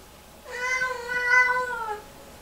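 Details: Drawn-out yowl from a Lynx Point Siamese cat having a meltdown hours after her bath, one sustained harmonic-rich wail of about a second and a half that swells in the middle and then sags in pitch at the end.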